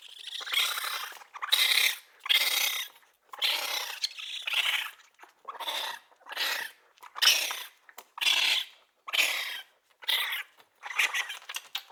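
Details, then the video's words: Young raccoon uttering a steady series of about a dozen rough, high-pitched chittering squeals, each burst roughly half a second long, coming nearly once per second with brief silences between. "Baby Raccoon sound effect"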